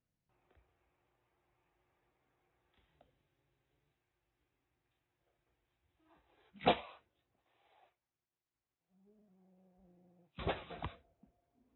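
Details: Calico kitten about one and a half months old, a stray rescued in Kagoshima, Japan, kept in a cage and hissing in threat: two abrupt breathy spit-hisses roughly four seconds apart, faint low hum and small knocks in a quiet room.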